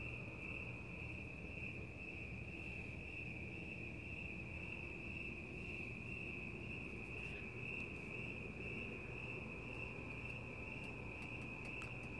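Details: Crickets chirping at night outdoors, with cats nearby in the fresh air; a steady unbroken high trill runs throughout, over a low rumbling background noise.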